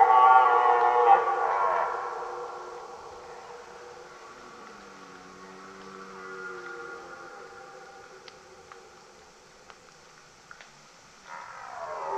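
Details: Red deer belling: a loud harmonic roar opens and fades within two seconds, a lower, softer moan follows in the middle, then scattered clicks and a fresh roar rising at the close.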